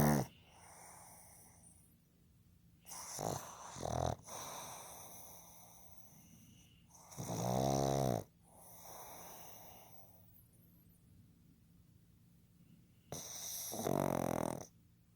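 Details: Heavy snoring from Fukuzo, a sleeping male pug born 15 July 2020: loud, gurgling, vibrating snores come in irregular bursts, one long and rumbling, with wheezy breaths and quieter snorts between them in a quiet room.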